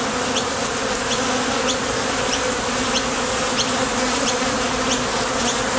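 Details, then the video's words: Foraging honey bees coming and going at a top bar hive entrance, a continuous thick hum of wing vibration with small high clicks recurring about twice a second. "Bees Sound Effects | WHITE NOISE | RUIDO BLANCO RELAJANTE Sonido de las Abejas"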